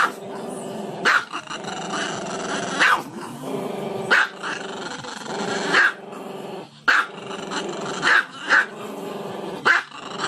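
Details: Continuous low growling from a dog, punctuated by about eight abrupt barks spread unevenly over ten seconds.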